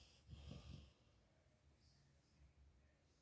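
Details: Mulan, a yellow Labrador Retriever, snores loudly in her sleep: one rough, low snort made of three quick throbbing pulses near the start, then only faint breathing and quiet indoor hush.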